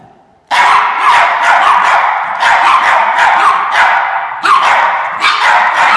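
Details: Several Norfolk Terriers bark in rapid, overlapping bursts while chasing an orange fox, sharp yaps coming several per second after a brief quiet start, with a continuous noisy hiss beneath.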